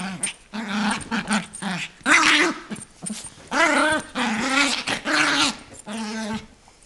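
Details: Small 8-month-old female Yorkshire terrier growling fiercely over a toy to keep her owner from taking it; loud, rough, wavering growls in irregular bursts of one to two seconds with brief gaps.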